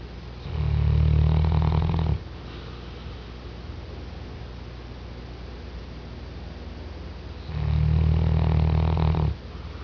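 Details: A sleeping Mastiff, a recent rescue dog, gives two heavy, low snores of almost two seconds each, about six seconds apart. A steady quiet hum fills the pauses.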